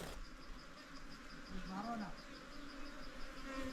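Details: Hill bees from a wild nest found inside a hole in the soil, being moved into a box by a local honey collector for beekeeping; a steady low droning buzz continues throughout, with a man talking over it.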